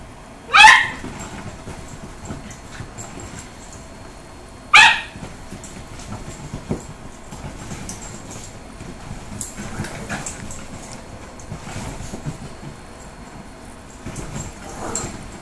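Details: A Dachshund puppy coaxing a five-year-old teacup Yorkie into play; two sharp, loud single barks about four seconds apart, followed by softer scattered scuffling and small yips over low background hiss.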